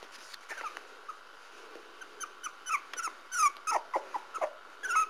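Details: Young Parson Russell Terrier puppies of the Stormy Wights kennel squeaking and yipping in quick high, falling chirps, repeated many times and growing denser over a few seconds.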